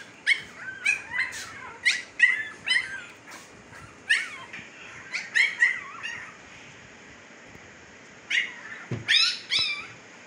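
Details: Siberian Husky puppies, fifteen days old, in Pakistan: busy run of high yelps and squeals, several overlapping, then a pause and a final burst of shrill cries along with a dull knock.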